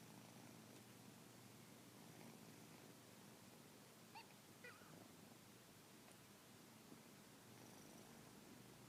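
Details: British Shorthair kittens, recorded while yawning, purr in a soft, steady low rumble, with a faint brief squeak partway through.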